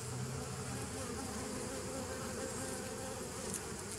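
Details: Short stretch of honey bee hum from 27 September 2018: an even, low, humming drone with a clear steady tone near the bottom and a tiny sharp tick near the end.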